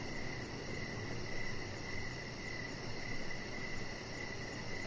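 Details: Evening cricket chorus beside a decorated deck where a chihuahua puppy lies. High chirping runs almost continuously, its pulses blurring together, over a dense low rumble and soft hiss.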